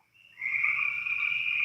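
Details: Many spring peepers call together outside an open door, their high, piping peeps overlapping into a steady, shrill ringing, a faint low rumble far beneath; toads may also be calling.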